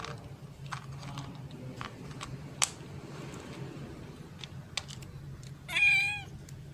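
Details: Abandoned black kitten, later called Item, crying behind a house one afternoon: a single loud, bright meow near the end with stacked harmonics, after scattered clicks and taps over a low steady background hum.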